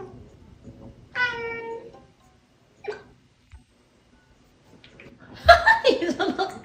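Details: Pet kitten indoors while playing and reaching for a toy it cannot catch; one clear drawn-out meow, a short faint cry, then a louder burst of mixed squeaks and clatter near the end, music faintly behind.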